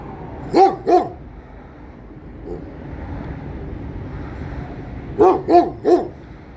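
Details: Guarding its protected ground, a Kangal barks twice in quick succession, falls silent for about four seconds over a steady background hum, then fires off three more deep barks.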